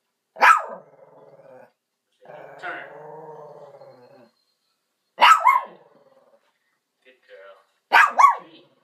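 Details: A Shih Tzu watching a Shih Tzu on TV gives three sharp, high barks several seconds apart, with a drawn-out whining sound between.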